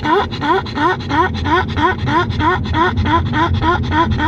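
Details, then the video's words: Pug named Grimley, over-excited in a cool, air-conditioned car, giving fast rhythmic rising yelps, roughly three per second, that sound seal-like; steady engine rumble underneath. "Pug over excited in the car"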